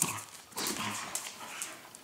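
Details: Pet dog growling during a rough tussle, a quieter voiced rumble with soft harmonic bands rising and fading over a second, amid scuffling and high hissy rustle; Dutch voices nearby.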